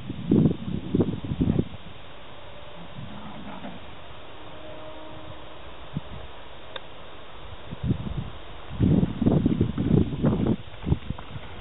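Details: Domestic pig piglets recorded in 2009. Clusters of low, hoarse grunting bursts open the recording, then comes a long quieter stretch with a faint hum and scattered soft noises, before another lively burst of grunts near the end.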